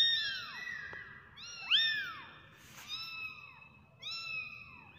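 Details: Kittens give faint, high-pitched mews. Several arching calls overlap against a soft background hiss, with one brief brighter squeal in the middle.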